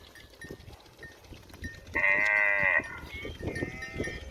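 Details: Cow near a village house calls out for grass food: a single steady harmonic moo of almost a second midway through, over low clattering and scattered background noises.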